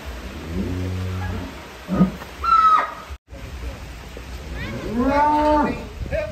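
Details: Giant champion contest cattle in Indonesia leaving the barn; a low steady moo opens, then after a break a loud harmonic moo swells and falls, with people talking around and a constant high electrical whine.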